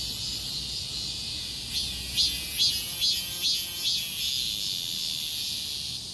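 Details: Cicadas singing together along a street amid a heatwave; continuous shrill high buzz with a run of regular pulses in the middle.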